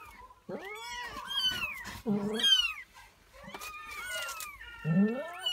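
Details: Persian cat and her four newborn kittens; a close, loud run of overlapping meows, some high and thin with falling tails, others lower and harsher, coming in quick irregular bursts with brief pauses between.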